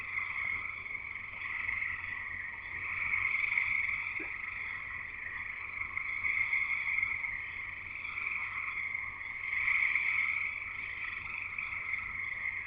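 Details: Chorus of frogs singing in Escanaba, Michigan, in the Upper Peninsula: a dense, continuous high trilling band that swells and fades in waves every few seconds, many callers overlapping into a steady jungle-like wall of sound.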